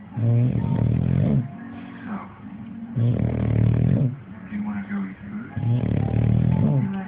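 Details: An English Bulldog snores in deep, rumbling rasps that swell and fade with each breath. The owner says the snoring is nonstop every day.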